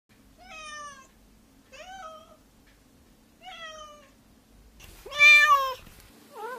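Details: Cat meowing in a series of clear, tonal meows, each rising then falling, repeated roughly every 1.5 seconds, ending with a louder, strained, wavering meow and the start of another.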